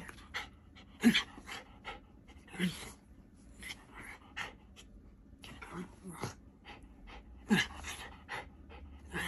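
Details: Tory, a pet dog, panting in short breathy bursts repeated irregularly, with a few brief whimper-like tones and some speech nearby.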